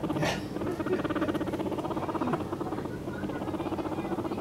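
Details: A two-month-old guinea pig rumbles with a low buzzing purr pulsing several times a second; the owner wonders whether it is a mating call for a girlfriend, and believes it is not a threat.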